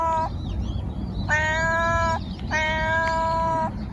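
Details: Cat giving three flat, even-pitched harmonic meows, a short one then two longer ones over a second each, against constant low background noise.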